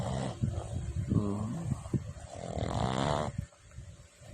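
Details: A Boston Terrier named Boss snores loudly, low rattling breaths each a rough, grumbling rasp with nasal snorts, uneven, the last snore trailing off into quiet.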